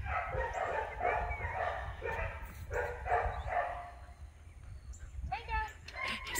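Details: One-year-old male Labrador mix named Tango, possibly part German Shepherd, at Randolph County Animal Shelter in Wedowee, Alabama, playing with toys; a series of short harmonic barks and yips over the first four seconds, with music and faint speech.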